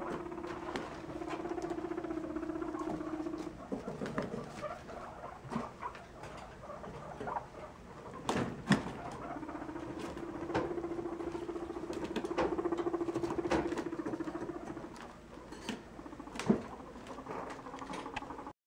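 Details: A baby guinea pig resting in a hammock purrs in long, steady, buzzy low hums broken by brief pauses. Soft rustling and scattered clicks from movement are heard throughout.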